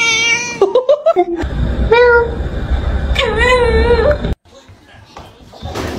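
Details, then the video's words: Domestic cat in a funny clip meows indoors: short broken mews, then two longer nasal meows that rise and fall, followed by quiet background noise. "Gelagat meow"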